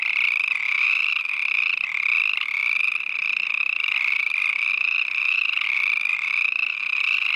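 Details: Chorus frogs calling together beside a hiking trail near the Mirror Lake Highway, Evanston Ranger District, Uinta-Wasatch-Cache National Forest; a dense, continuous chorus of rapid rising trilled chirps overlapping without pause, bright and loud throughout.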